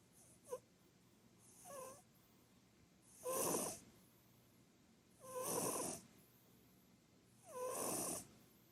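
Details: Snoring of Purin, a plump short-legged Munchkin cat that now sleeps on the sofa all day; a soft first breath, then louder hissing snores with a squeaky whistle, roughly every two seconds.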